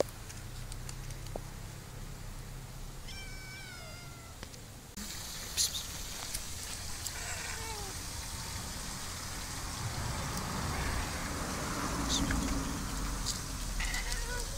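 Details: Cats living together in an olive garden in summer: a single clear harmonic meow near the three-second mark, short and slightly wavering, over low rumble; midway the background switches abruptly to a bright, steady high hiss with scattered faint clicks.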